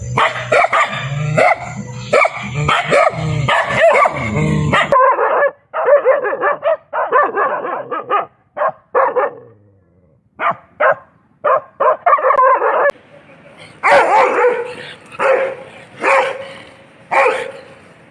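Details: Dogs barking in a compilation of excited barking: rapid bursts of harsh barks, some in quick volleys, others spaced about every half second, with changing loudness and tone between sections.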